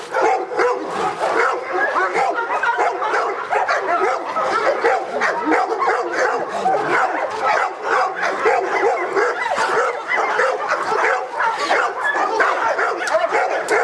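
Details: Felipe de Ironbull, Presa Canario from King Zulu kennel, in an AVD e.V. protection work trial; fast, continuous rough barks stacked closely for nearly fourteen seconds, intense and even in loudness, with some speech in the mix.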